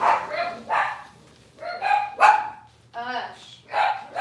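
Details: Cavalier King Charles Spaniel puppies, a litter on a morning kitchen livestream: six short, high, whining yelps with rich overtones, each under half a second, coming about every half to one second, some sliding slightly downward.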